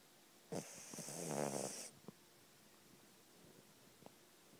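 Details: A sleeping puppy named Heidi snores: one long raspy, rattling breath lasting over a second, with a faint whistly upper edge, followed by a few soft clicks and quiet breathing in a still room.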